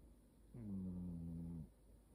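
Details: A cat snoring: one low, droning snore with a steady harmonic buzz lasting about a second, set against a quiet background.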